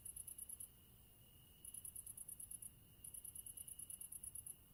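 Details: Cricket song in short bursts of quick, high chirps, each burst a string of five to ten pulses separated by pauses of under a second, over a low steady hum.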